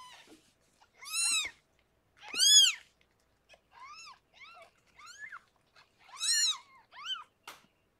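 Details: Around the birth of six kittens to Harlequin, a rescued pregnant cat in foster care indoors: loud, bright, arching mews rising and falling, some long and strident, others shorter and softer, in an uneven series with silences between.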